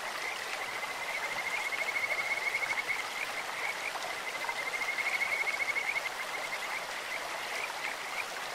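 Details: Kajika frogs call from a clear stream, two sustained high trills, each about two seconds long, that pulse like a bird's song, separated by scattered short chirps, with the stream rushing steadily underneath.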